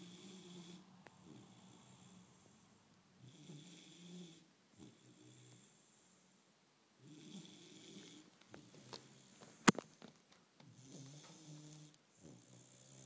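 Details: Sleeping Bullmastiff puppy snoring softly. Rough, wheezing inhalations come in uneven runs, broken by a few quiet gaps, snuffles and a sharp click near the middle.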